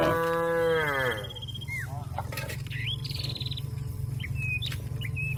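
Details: Cow calling out to a companion that is grazing in the field: one long, rich moo lasting just over a second and sagging in pitch at its end, then scattered bird chirps and whistles over a steady low hum.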